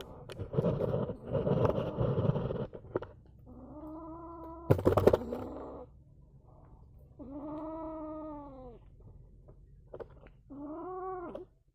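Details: An angry kitten utters arched, wavering yowls of about a second each, spaced out across the clip, after an opening burst of rough handling noise and a loud knock.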